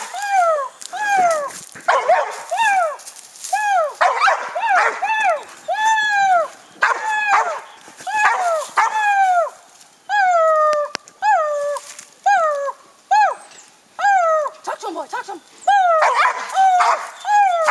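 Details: Gator, a young dog, treeing a raccoon for the first time, fixed on the coon and barking. Steady run of arched, harmonic barks, roughly one every second, with a handler's encouraging voice between them.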